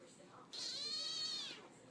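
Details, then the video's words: Cat addressing its human indoors: a sustained, nasal meow of about one second, steady in pitch with a slight arch, over a quiet room. "Cat's Talking to Their Humans"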